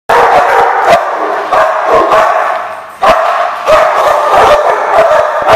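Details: Dogs at The Barking Lot, dated 1/2/15: dense, overlapping barking fills the recording, with loud, sharp bursts every half second to a second over a steady yapping din.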